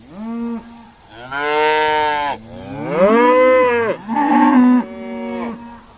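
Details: Irish Dexter cows at Stone Meadow Farm during sorting give back-to-back moos, a short low note followed by long swelling bellows that rise and hold, overlapping one another.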